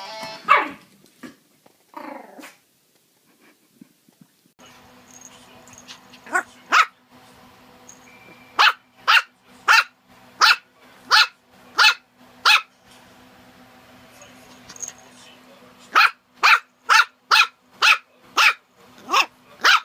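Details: Puppy barking from a cute compilation: early uneven yelps, then a long series of short sharp high barks repeated roughly every half second to second over a steady background hum.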